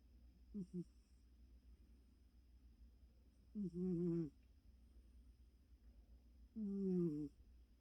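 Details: Snoring of Choco, a very tired house cat fast asleep: three rough, throaty inhalations spaced roughly three seconds apart, the first brief and stuttering, the later two longer and louder, over a quiet constant background hum.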